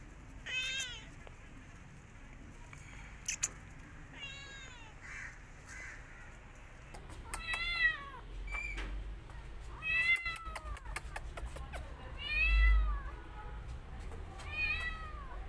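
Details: A mother cat that was grooming her own kittens attacks an orphan kitten after smelling it. Loud, clear meows bend up then down, coming in uneven bursts, with thumps and rustling between calls.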